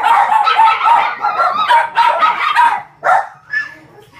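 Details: A male white-and-gold Shih Tzu puppy, 43 days old, in Osaka, gives quick, high squeaky yelps and whines, several each second.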